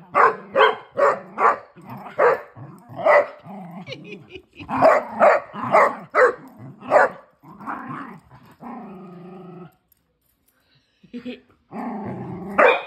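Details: Playful barking from a female Basset Hound romping with her big sister and brothers: rapid, rough barks about two per second, mixed with growly notes, a drawn-out tonal whine-like stretch near the middle, brief quiet, then more barking.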